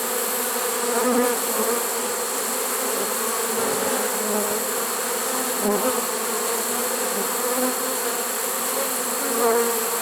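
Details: Many honey bees from a swarm caught in a swarm trap, September 1, 2019, late in the season; an unbroken, steady buzzing drone with faint hiss and small swells in loudness.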